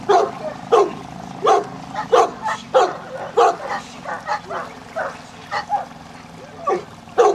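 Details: Repeated deep, gruff barking from a Newfoundland dog at a section C water test at Grangewater Tests. Roughly one bark every half second to second, some softer in between, over a low steady hum.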